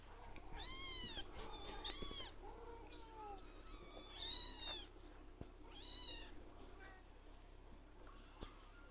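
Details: Male blue lynx Ragdoll kitten shouting for attention whenever it sees its owner: a run of high, bending meows, some short and some drawn out, with faint softer calls in between.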